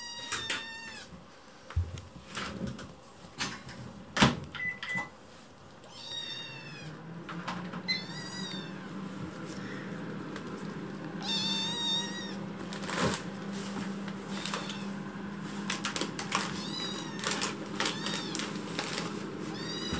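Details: Chicchi, a young rescued kitten being fostered indoors, cries loudly after waking. Scattered meows, some long and wavering, others short, spaced several seconds apart. Clicks, knocks and a steady low hum run beneath them.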